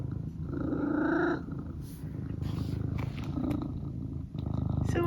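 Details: Pet cat purring steadily indoors with a short louder harmonic murmur near the start, while a person chats to it about dinner.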